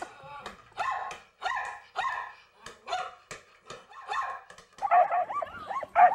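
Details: Pet dog giving a run of harmonic, yowling barks roughly once a second, then switching to quicker rising-and-falling whine-like yelps near the end.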